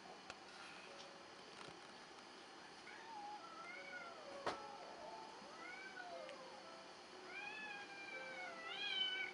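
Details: Selkirk Rex cat named Schwan meowing softly: a series of short rising-and-falling meows, with longer, fuller meows building toward the end over a quiet background.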